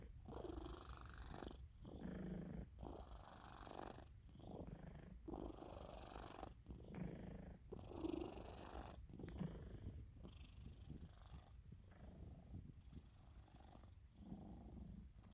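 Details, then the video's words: A male Sphynx cat purrs and snores while sleeping during belly rubs, a deep snoring rumble that swells and fades with each breath. "Snoring Purring Sphynx (Hairless) Cat"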